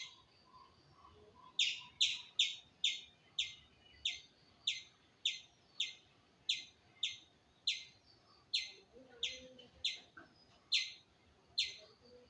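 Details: After a quiet start, a squirrel repeats bright, sharp chirps steadily, about two per second, each note short and slightly falling, with faint background sounds.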